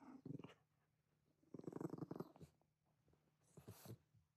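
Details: Shiba Inu Ranmaru, just back from a walk, confronting family members dressed as oni for Setsubun: three rough, growly bursts, the longest a rapid rumbling run of about a second, separated by short quiet gaps.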